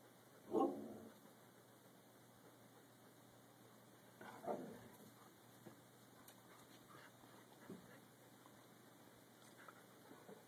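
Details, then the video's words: Siberian Husky pup Emmy, six months old, trying to coax Peace into playing; two moderate barks spaced about four seconds apart over a steady background hiss, with faint small sounds afterward. "Emmy wants to play"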